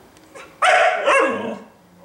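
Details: Indoor female Siberian husky, eager to go out after a two-day move with no exercise: a soft lead-in followed by a harsh, noisy howl-bark lasting about a second, with a second rough pulse, then quiet.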